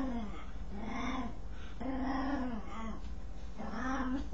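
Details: Dog making a strange noise while scratching itself: drawn-out, low moaning groans with a wavering tone, three rising-and-falling bursts about one and a half seconds apart.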